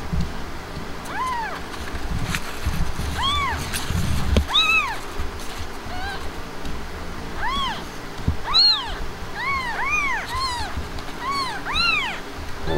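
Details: Himalayan cat named Blanca after giving birth, kittens present; clear arched meows with rich harmonics, some singly and some in quick pairs or triplets, separated by brief pauses, over a low indoor hum and a few knocks.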